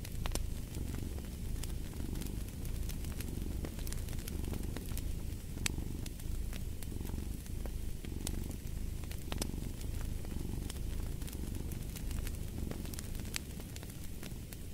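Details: Steady purring from a cat, a deep buzzing drone cycling with its breathing roughly every second, overlaid by intermittent sharp crackles of a fireplace.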